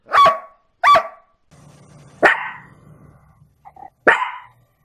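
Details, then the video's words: A dog lets out a few bright, high barks, two close together at the start, then two more separated by pauses and a low hum. "Latidos de cachorros"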